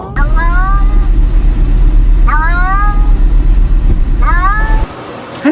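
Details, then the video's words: Pet cat meowing in a compilation of talking cats; three drawn-out rising-falling meows about two seconds apart over a steady low rumble of background noise. "Talking Cats You’ll Ever Hear"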